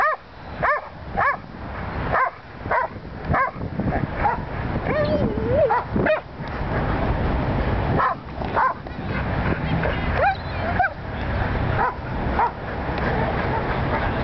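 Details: First-time sheep herding by Willie the Welsh Corgi in Long Beach, California; clipped barks recur in uneven bursts, with a low continuous hum and brief voices underneath.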